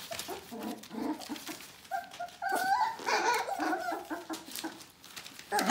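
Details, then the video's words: Bohemian Shepherd puppies nearly four weeks old giving louder, overlapping whines and squeals indoors, several pups at once, with clattering handling noises. "BOC puppies "F" litter tomorrow 4 weeks old"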